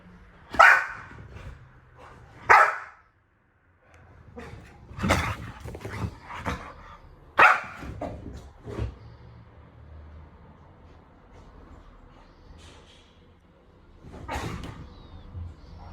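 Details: Dog barking: loud, sharp single barks near the start, again about two seconds later and around seven seconds, with softer yelps and bursts between and a low background rumble throughout.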